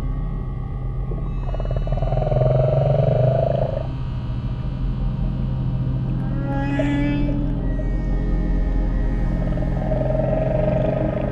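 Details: Humpback whale song recorded in the South Pacific Ocean, long, wavering moans and a brief rising squeal over a deep, steady drone, mixed with relaxing music.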